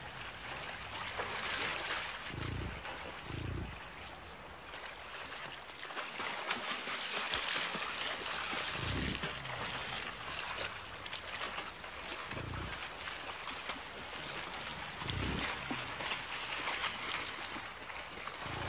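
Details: Yellowstone National Park bison herd of more than 60 crossing a river on their autumn journey to winter feeding grounds; short, deep grunts come at irregular intervals of a few seconds beneath loud, continuous splashing and flowing water.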